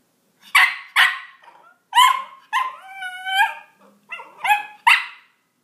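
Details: Roxy, a Miniature Pinscher, reacting to cat sounds played from a soundboard: sharp loud barks interrupt drawn-out harmonic meows, with a pair of barks at the start and more toward the end.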